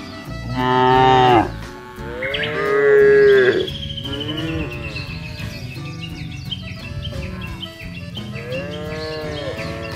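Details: Free-ranging tame cattle on a wide grassy field in a village area, part of a fattening herd: two loud, long bellowing moos in quick succession, then quieter lowing and background music with a thin high tone.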